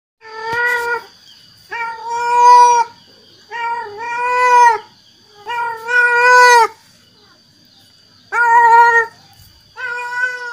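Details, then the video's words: Male cat calling to attract females: drawn-out harmonic meows with a steady pitch, repeated about every two seconds, with quiet gaps between them and a faint steady high tone in the background. "Suara kucing jantan yang bikin kucing betina singgah"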